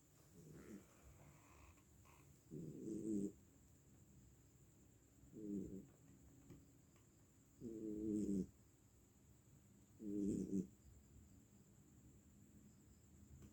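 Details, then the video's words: Domestic cat asleep and apparently tired, snoring in slow rough breaths, about one every two to three seconds, each a short low rasping burst with quiet pauses between; faint steady hum in the background. "sepertinya kelelahan, Bobonya ngorok"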